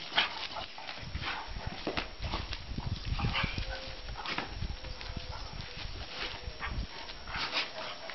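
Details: Two half-Kuvasz dogs give rough, breathy barks and huffs in short bursts over a noisy background.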